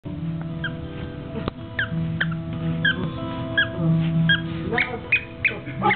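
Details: Pet pug squeaking: short, high, quickly rising squeaks repeated irregularly, several close together near the end, over a steady humming background with sustained music-like tones.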